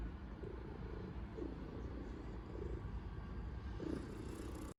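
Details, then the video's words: A cat kneading hard on a blanket purrs loudly; a steady, low rumbling drone holds unbroken from start to finish, with no other clear sounds. "고양이 폭풍 꾹꾹이😺+ 우렁찬 골골송"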